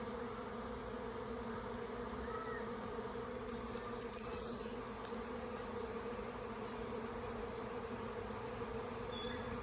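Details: A honey bee swarm moving into two stacked nuc hives in sunshine on May 24, 2025 fills the air with a steady, dense, low droning buzz from countless wings.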